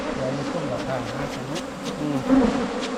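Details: A steady, low drone of many Asian honey bees, heard while wild colonies are sought on a 2022 honey-hunting outing. Faint human voices sit behind the hum.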